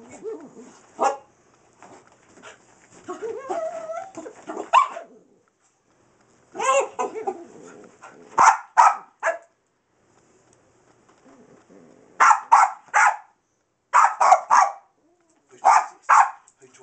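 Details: Skillet, a little Boston bull and wiener dog mix chasing a laser light indoors, gives whiny grumbles, then sharp high barks in quick pairs and triplets separated by short pauses.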